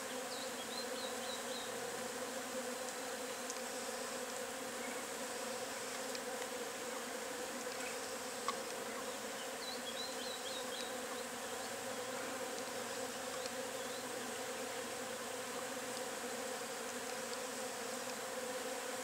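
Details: Steady droning hum of many Agelaia multipicta wasps gathered at the nest, unbroken and even in loudness throughout, with occasional faint high chirps in the distance.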